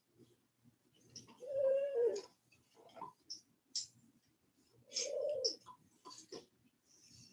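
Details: Cane Corso, an Italian Mastiff, giving two drawn-out, high, nasal whines, each about a second long, separated by soft clicks and small rustling noises in a quiet indoor setting.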